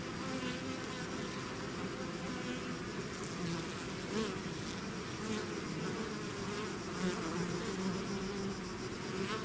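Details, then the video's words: A swarm of bees pouring out of the hive, constant layered buzzing with passing bees adding brief louder, rising-and-falling whines over a deep unbroken hum. "bees therapy swarm natural buzzing sound"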